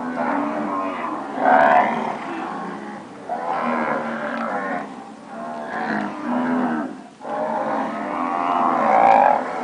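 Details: Nelore cattle, purebred standard cows that have recently calved, giving a series of long, wavering moos, about four separate calls spaced a couple of seconds apart, voices overlapping at times.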